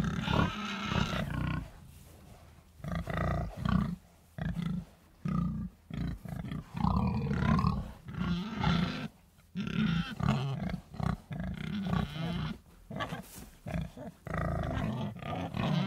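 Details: Pigs grunting in a run of short, low, rough bursts separated by brief pauses, some grunts stretching longer and fuller, with no other clear sounds.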